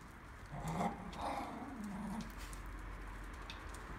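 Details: Miniature pinscher among a pack of females where cheeky Quinta starts and the rest join in: a brief whiny, growling vocalization lasting under two seconds, then fading into low background noise.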